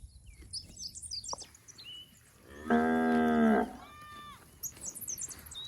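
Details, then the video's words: A plump village cow in a rice-field herd moos once, a loud, steady, droning call of about a second. High bird chirps and short whistled notes sound around it. "Suara Sapi Gemuk"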